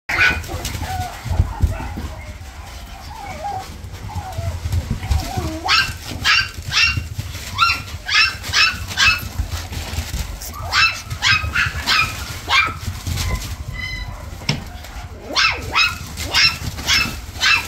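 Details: Toy Poodle with a white chest marking giving a long series of high, sharp yips and whines, bursts closely spaced and coming in clusters, with low room rumble underneath.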